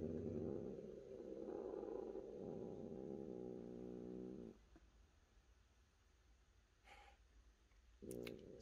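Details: Cat purring in a steady low rumble with layered harmonics for about four seconds, then quiet with a few brief clicks and a short burst of purring at the end.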